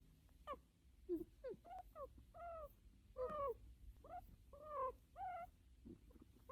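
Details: An American guinea pig, being petted by a trusted owner, gives short, tonal squeaks that rise and fall in quick uneven bursts, a sound it habitually makes while petted.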